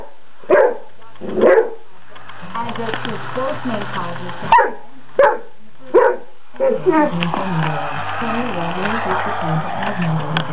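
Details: Great Dane barking at a toy mouse: five loud, abrupt barks spaced about a second apart, separated by stretches of a person talking over a low background hum.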